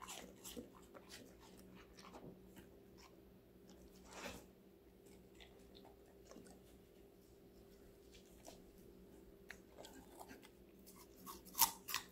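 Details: A five-month-old female Golden Retriever puppy crunches and chews various raw vegetables in sharp, irregular bites over a low steady hum.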